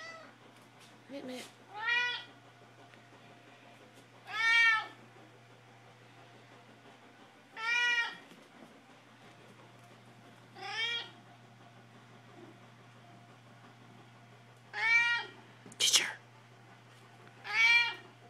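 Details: Domestic cats Mittens and Ginger meowing to be fed: a steady series of clear harmonic meows roughly every three seconds, one a sharper squeak, against a faint low hum in a quiet room.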